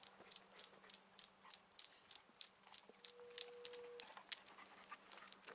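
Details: On a very early July morning countryside walk in central Poland, a female half-Tosa Inu cross dog pants quickly and steadily, about three breathy huffs a second, over a low hum with a brief steady tone; a grey heron is thought to call.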